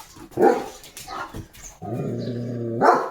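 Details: Leo, a German Shepherd, gives loud, sharp guard barks at the gate on morning duty, jumping as he barks at another dog passing the house, with a person's voice in between.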